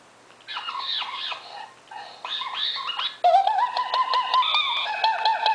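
A monkey gives squeaky, wavering chatter, then a run of drawn-out, stepped squeals.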